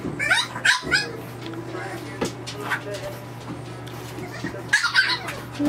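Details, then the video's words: French Bulldog puppies of Mona-Lisa's litter playing in an indoor puppy nursery: short high yips and squeaks in bursts at the start and near the end, over a steady low hum, a woman talking to the pups, and faint music. "Mona-Lisa's Puppies Playing in the Nursery"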